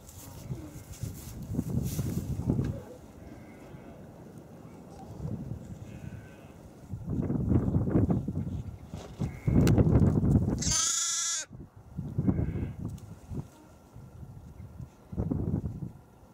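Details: Playful young lambs bleating: several low, wavering baas come in bursts with short pauses between them. A brief high rattling noise cuts in about two thirds of the way through.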